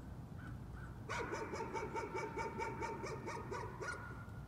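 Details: A dog's nuisance barking, one continuous rapid string of about a dozen sharp, clipped barks lasting under three seconds, with a low rumbling background.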